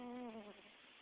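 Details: Domestic cat Ricky Elvis snoring while asleep on a person's hand: one quiet, voiced, buzzy breath lasting about half a second with a clear harmonic tone that slides gently downward, then fades into faint room hiss.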